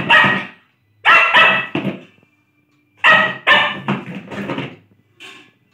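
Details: Playful Lhasa Apso gives loud, rough barks in clusters of two or three, with brief silences between groups and a softer yip at the close, heard indoors.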